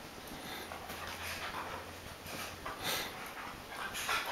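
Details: Adult American Akita Tomo playing with her new puppy brother Shima; breathy panting and soft snorting bursts come in irregular, uneven puffs over a steady background hiss with scuffling noises of play.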